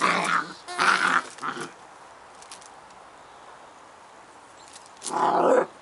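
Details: Scottish Terrier puppies Bonnie and Basil at play, giving two short bursts of gruff growling near the start, a pause, then one more rough growl near the end.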